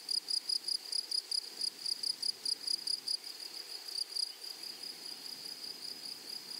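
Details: Grasshopper in a flowery meadow or prairie, a shrill, high, tonal chirping in quick pulsed bursts, roughly four or five a second, clear and steady over a quiet background.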